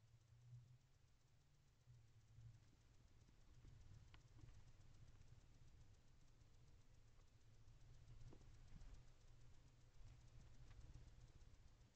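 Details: A steady low rumble like distant traffic or machinery, with a few faint clicks and knocks and no clear animal voice.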